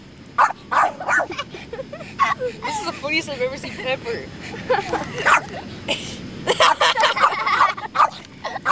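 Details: Dog playing with a feather in sand gives bursts of short barks at start and end, with a stretch of higher wavering whines and yips in the middle.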